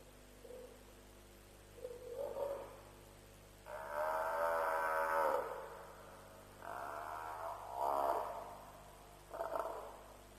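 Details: Bawling at night from an African buffalo at a lion kill, Djuma, about 3 a.m. on 07/03/07. Two short low moans are followed by a long quavering bellow and three briefer strained cries, each sliding downward at the end. A constant low hum runs beneath.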